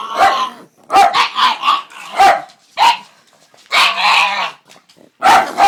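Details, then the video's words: Pug giving strange vocal noises: hoarse yappy barks and drawn-out grumbling whines in quick clusters, a longer wavering groan near the middle, short silent gaps between bursts. "Weird Pug Noises"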